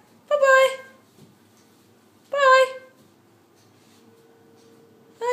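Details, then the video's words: Sasha the pet dog, clowning around indoors with Topaz, gives short harmonic moaning 'talking' calls, each about half a second long and repeated roughly every two to three seconds, with quiet room hum between them. "Sasha The Talking Dog/Bone Chewing"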